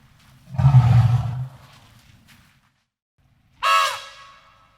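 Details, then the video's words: A deep, throbbing elephant rumble lasting about a second, followed after a pause by a short, bright trumpet blast that starts loud and fades. "ELEPHANT SOUNDS FOR KIDS - Learn Trumpeting, Rumbling, and Roaring Sound Effects of Elephants"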